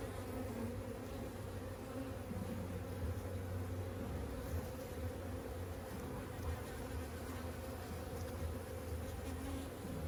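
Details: A first-ever beekeeping inspection of a young honeybee colony, smoker lit and frames removed: many bees produce a continuous low hum that wavers slightly in strength, with no other clear sounds over ten seconds.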